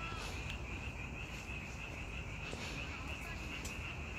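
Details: Chorus of frogs in May: a continuous, even, high-pitched trilling wash with no breaks, over a noisy low rumble.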